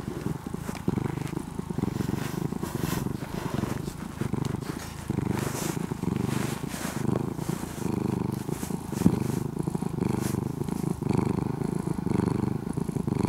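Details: Close, steady purring from an orange-and-white ex-stray cat, now almost fully tame: a low, rough, motor-like drone pulsing in slow breath cycles, about one swell per second, with no other clear sounds.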